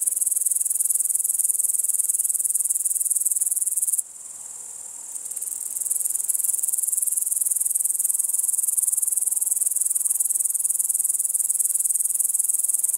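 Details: An upland green bushcricket in Estonia in August 2012 sings a shrill, continuous, high-pitched buzzing trill that breaks off briefly.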